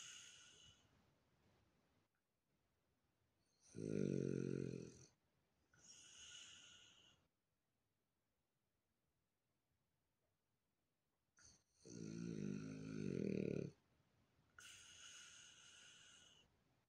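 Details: Loud snoring from a relaxed female French bulldog, rough rumbling inhales alternating with hissing breathy exhales, two snore cycles separated by a long quiet pause.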